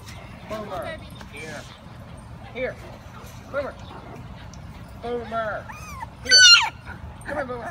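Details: Patterdale Terrier puppies aged five weeks in a pipe earth tunnel: scattered short high yips and squeaks with quiet gaps between, one louder shrill squeal late on, faint hum beneath.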